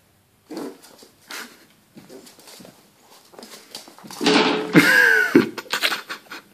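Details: Luna, an American Staffordshire Terrier, indoors: several faint soft sounds and shuffles, then a loud high, falling whine that breaks and drops away, followed by quieter rustling.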